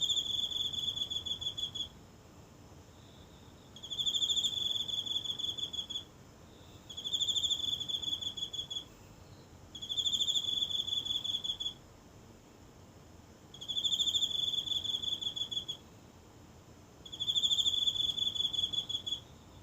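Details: One insect sings at night in the grassy patch of a tiny home garden, caught close on a mobile phone: six high, buzzy pulsed trills of about two seconds each, repeating roughly every three seconds against quiet.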